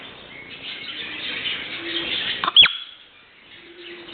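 A single shrill whistle from a marmot, very high and abrupt, rising fast and falling back within a fraction of a second. A steady hiss of wind or rushing air runs underneath.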